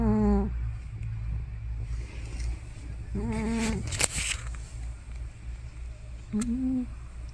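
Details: Elderly female cat, probably over 15 years old, asleep indoors and making loud noises that may be snoring or sleep-talking: three short voiced groaning bursts roughly every three seconds over a steady low hum.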